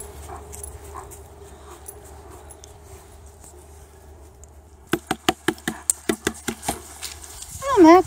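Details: Max, a male German Shepherd guard dog rescued from a freezing industrial lot in Newark, resting indoors under cover: a string of short sharp pulses, then a wavering high whine at the end over a steady low hum and soft speech.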